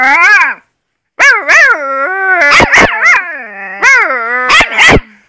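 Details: A half Alaskan Malamute, half wolf puppy howls in high, wavering tones broken by sharp yips.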